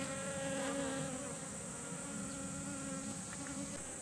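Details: Garden kumquat flowers visited by a group of nectar-seeking honeybees. A dense, even droning hum with a clear low buzzing tone, slightly louder in the first second, over a constant high hiss.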